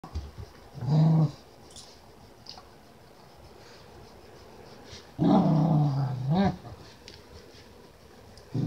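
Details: Keeshond dog at play, giving two low growling bursts around one second and five to six and a half seconds, separated by quiet, in a small indoor room.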